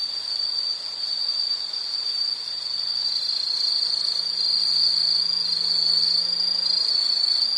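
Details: Steady high insect trill with a rapid pulsing quality, gradually growing louder, accompanied by a faint low hum in the background and higher buzzing insects.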